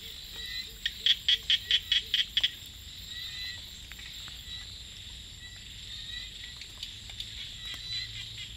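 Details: Small frog calling at night in the rice fields: a quick burst of about eight sharp, evenly spaced clicking pulses within two seconds, then quiet, set against a steady high-pitched insect chorus that hums throughout.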